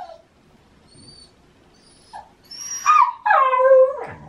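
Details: Shiba Inu howling early in the morning in the autumn mating season, insisting on a walk. Soft whines and a brief yip lead into two louder harmonic howls, the second held and wavering, then falling into a rough growly end.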